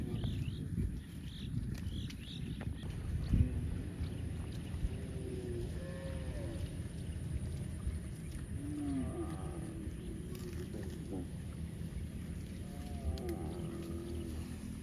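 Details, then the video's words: Cows mooing outdoors, several low drawn-out moos with harmonic stacks, some rising then falling, spread through the recording over steady low rumbling background noise and faint higher bird-like chirps. "Voice Cow - Cow Funny mooing sounds"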